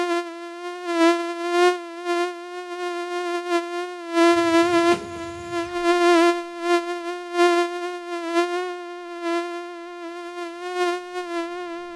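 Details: Mosquito in flight: a steady, thin, nasal whine holding one pitch with many overtones, wavering slightly in loudness throughout, with a short rough noisy burst near the middle.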